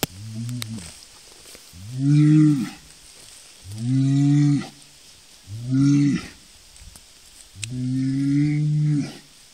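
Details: Highland and Hereford cattle lowing in turn: five long, deep moos with rich harmonics, each rising slightly then falling, repeated about every two seconds with short quiet gaps between.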